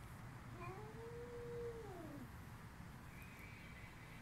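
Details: Screaming female cat gives a single drawn-out wail that rises, holds and then falls, lasting about a second and a half, against a steady low rumble of background noise.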